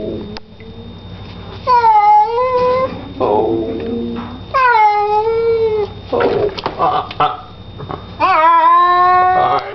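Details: Pet cat being bathed gives three long, drawn-out wailing meows, each starting high, dipping and then holding a steady rich tone for a second or more, with a person talking softly in the gaps between cries.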